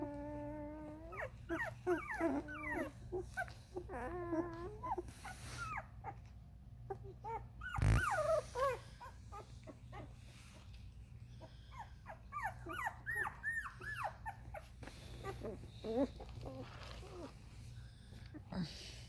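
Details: Thirteen-day-old Vizsla puppies from Ruby's litter, whining and squeaking in short bending cries, some sliding upward, with a sharp knock midway and a constant low indoor hum underneath.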